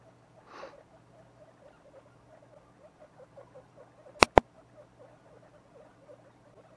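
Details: Two-week-old baby guinea pigs kept as pets give a steady run of short, soft chirping calls, about four per second, with a brief rustle early on and two sharp clicks near the middle.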